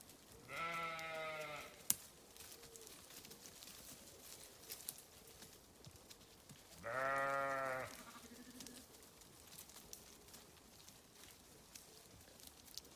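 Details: Sheep bleating twice, each a harmonic-rich call about a second long, roughly six seconds apart, with quiet background between.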